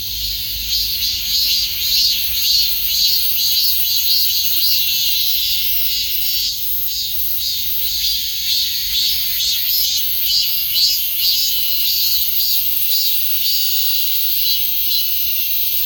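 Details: Cicada song as a loud, high, rasping drone with rhythmic swells about twice a second, keeping up without pause over sixteen seconds.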